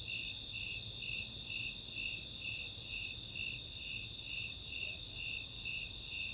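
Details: Snowy Tree Crickets and Four-spotted Tree Crickets calling together on a summer night at Chautauqua in Boulder, Colorado; evenly spaced high pulses, roughly two per second, ride above a constant high-pitched ringing trill.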